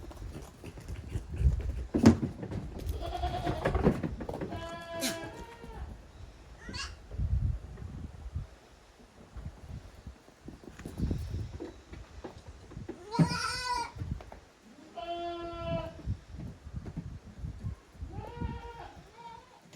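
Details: Goat kids playing boisterously in the exercise yard at Yoshigake goat farm, a handmade farm in Japan, on 30 April 2023. Several wavering, nasal bleats come at intervals, the loudest pair close together late on, amid thumps and scuffling of play.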